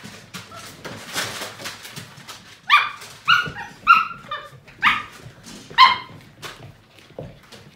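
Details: Playing Portuguese Water Dog puppies, a seven-week-old litter, give a run of loud, sharp, high barks about every half second to one second, with scuffles and thumps of play between them.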